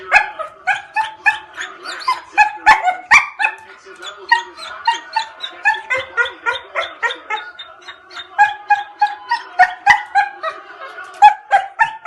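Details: An angry dog barks in fast, high yapping bursts, about three or four each second, keeping up a steady, shrill run for the whole stretch.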